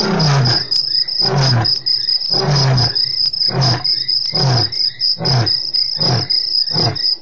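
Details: Male lion roaring, Africam recording dated 3/04/08: a series of deep, grunting roar bursts about once a second, eight in seven seconds, over a steady high insect chirring.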